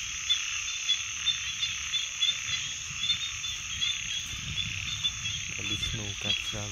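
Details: Frogs calling at night as a dense, continuous high trilling chorus, with louder croaks pulsing roughly every half second above it and a short burst of lower harmonic sound near the end.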